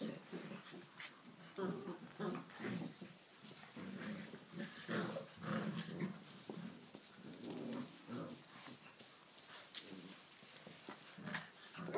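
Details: Playing in a stable for the first time, a litter of six-week-old Tibetan Mastiff puppies grows wild; steady low grumbling growls pulse in short bursts throughout, overlapping one another, with scrabbling and knocks in the background.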